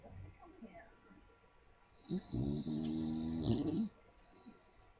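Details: A young Staffordshire Bull Terrier, asleep, gives one long, loud, rattling snore that lasts nearly two seconds.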